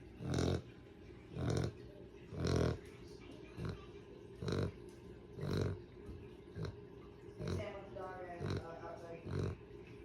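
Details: Sleeping dog snores in rough, snorting breaths about once a second, some louder and longer than others, with a brief higher, tonal murmur near the end against a quiet room.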